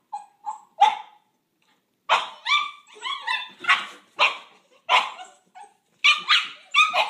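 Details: Two sibling Boxer puppies, brindle female Paizley and fawn male Pepsy, squabble over a coveted pig ear; a few thin whines open, then after a pause come rapid shrill barks and yelping growls, some overlapping.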